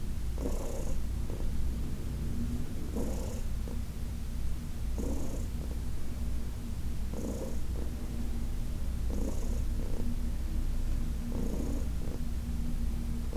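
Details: Purring from Heidi, a senior cat aged about 15, while being massaged on August 4, 2021; deep, even rumble punctuated by soft rhythmic breath pulses roughly every two seconds.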